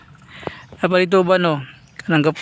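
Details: Domestic goats free-ranging in a rice field before the rice is planted: two wavering, quavering bleats, the first long and the second shorter, with faint background noise.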